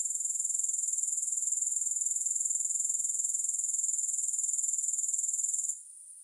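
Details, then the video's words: Steady, piercing, finely pulsed high-pitched buzzing of grasshoppers without music. Its even ticking texture continues unbroken, then cuts off abruptly near the end, leaving only a faint high hiss. "3 Hours of Grass Hopper Sounds"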